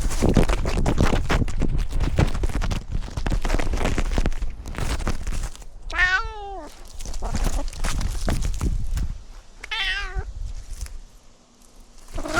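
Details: Domestic cat heard while outdoor cat Simba, wearing a camera, tours a newly renovated catio: two clear rising-then-falling harmonic meows about four seconds apart, set against heavy rustling and bumping of camera handling.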